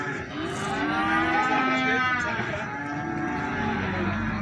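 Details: At Plaosan market in Magetan, feeder cattle offered for sale give a long, loud, rich moo lasting most of the clip, its tone wavering slightly, set against continuous background chatter and market bustle.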